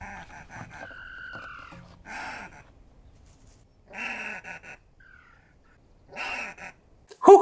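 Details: Southern African banded mongoose alarm calls: three harsh, buzzy chattering bursts about two seconds apart. A brief whistled note and a voice come first.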